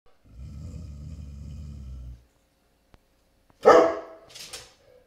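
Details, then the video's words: Great Pyrenees barking as a delivery truck pulls up at the neighbor's house: one loud, deep bark after a low rumbling engine-like hum, followed by a shorter second burst. "Our Great Pyrenees when a delivery truck pulls up at the neighbor's"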